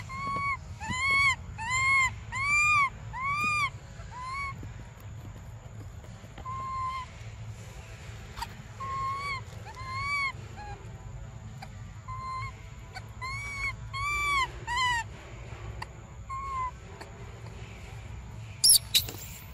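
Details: Hungry baby monkey Briar wants milk: bursts of rapid, evenly spaced arching cries in runs of four to six, separated by softer single wails, with a faint low hum and a sharp noise at the end.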